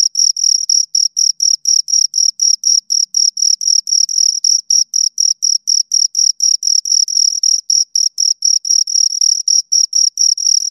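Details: Pair of crickets giving continuous high-pitched chirps, short ringing pulses repeated steadily around four times a second with tiny gaps between them, bright and metallic, over an otherwise silent background.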